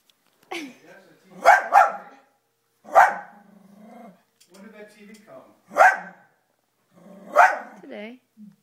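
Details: Toby the dog barking at his own image on the TV, single and double barks separated by pauses, with a person talking between them.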